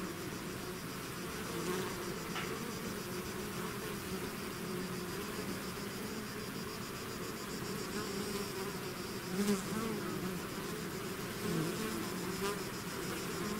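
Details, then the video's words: Bees swarming out of their hive make a thick, unbroken drone of countless wings, low hums overlapping, with a few brief louder passes of single bees near the middle and end. "bees therapy swarm natural buzzing sound"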